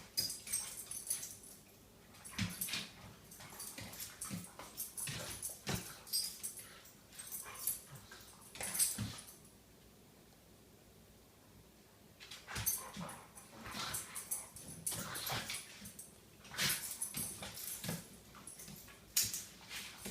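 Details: Several dogs wrestling together in the morning: bursts of rough, breathy growls and snorts mixed with scuffling, dense for the first nine seconds, a quiet gap near the middle, then another burst of rough play noises.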